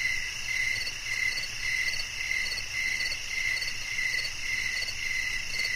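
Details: Short burst of cricket song meant for relaxation and sleep: clear high trilled chirps roughly twice a second, with a faint steady hiss and whine of other insects underneath.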